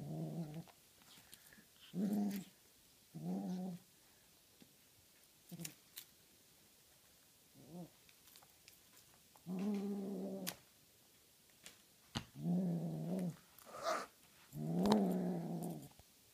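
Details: Tonkinese cat Honey Butter guarding her feathery toy prey indoors, growling in repeated low, rumbling bursts of about half a second to a second each, roughly eight bouts with short silences between, plus faint clicks and rustles.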